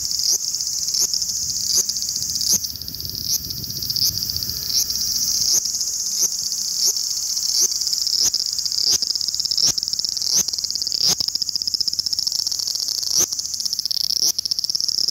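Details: Large brown cicada (aburazemi), recorded 18 August 2020 in Japan, giving a continuous high sizzling buzz like hot oil spattering, steady throughout with faint clicks and low rumbling beneath.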